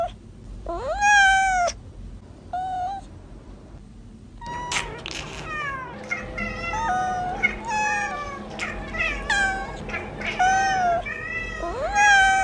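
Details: Young kittens meowing: loud, drawn-out calls that rise then fall, several voices overlapping and crowding the middle stretch with shorter mews, a brief quiet gap near four seconds.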